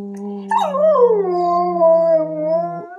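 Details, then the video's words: Owen the husky howls softly along with his owner during play at home. A sliding, wavering howl starts after half a second and holds for over two seconds while a steady low human note sounds beneath it. "Husky Owen Plays And Sings"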